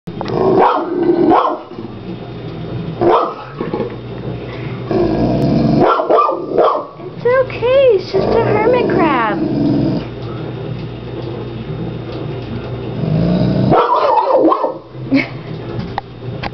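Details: French mastiff named Chevy, a pet dog, barking at a large hermit crab in a home tank; loud broken barks and growly bursts come in clusters, with a higher whining yelp midway and a person speaking soothingly between them.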